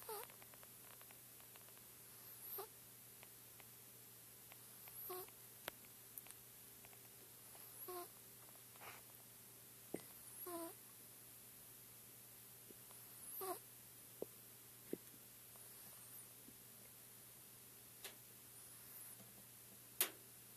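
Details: Sleeping Chinchilla Silver Persian kitten Aatan, four months old, makes gentle wheezy breathing snores, short whistly bursts recurring every few seconds, with a few faint clicks and a constant low hum in a quiet room.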